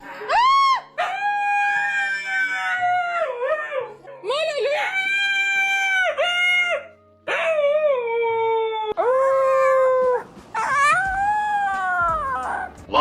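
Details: A dog gives a long run of loud, tonal, howl-like vocalisations. They waver up and down in pitch with brief gaps and continue almost without pause for thirteen seconds.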